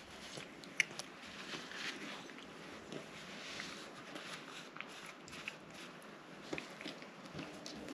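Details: Cat named Rang-i eating a liquid treat, giving faint wet lapping clicks and smacks at an uneven pace, with one sharper click early on, over steady low hiss.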